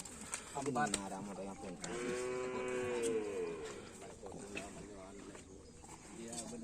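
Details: Bulls at karapan sapi bull race training at a field in Asemanis, Indonesia: a long, harmonic, slightly wavering moo of about two seconds, with short calls before it, voices and music around.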